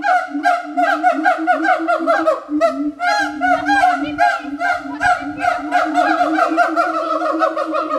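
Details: Siamangs at Berlin Zoo give a loud, rapid series of honking, barking hoots, about two or three each second.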